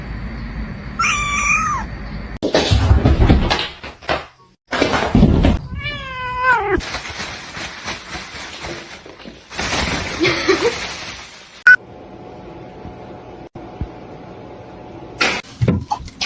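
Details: Domestic cats from a funny cat compilation: a short harmonic meow near the start and a longer wavering meow midway, broken up by noisy thumps, clatter, rustling and brief human speech.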